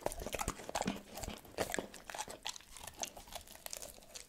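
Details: Dog eating cordon bleu food indoors: dense crisp crunches and chewing snaps scattered irregularly, with occasional moist smacks and quiet room background.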